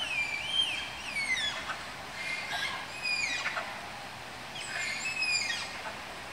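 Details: High, thin squealing from Malayan tapirs being paired at Tama Zoological Park zoo: repeated downward-gliding whistles in bursts roughly every two seconds, some layered and overlapping, against a soft steady hum.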